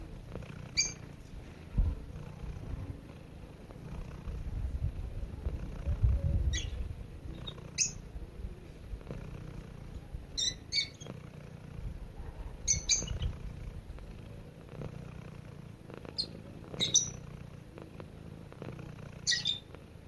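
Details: Pet cat purring gently as it drifts off to sleep, a continuous low rumbling drone that swells in the middle, while short high-pitched bird chirps sound now and then in the background.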